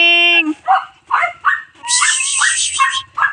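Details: Pet cats at home answering their owner's calls: a held meow at the start, then a string of short rising mews, a loud drawn-out wavering meow, and further brief meows, with faint speech behind.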